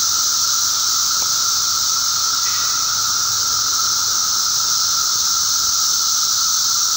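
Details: Magicicada periodical cicadas massed at emergence on May 19, 2011, filling the air with an even, hissing high drone and a sustained lower whine; one faint brief click near the start.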